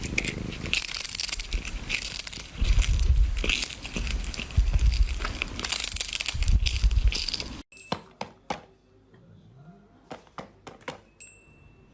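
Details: Loud crinkling and rustling handling noise gives way after about eight seconds to a quiet room with a few sharp taps, and no animal voice.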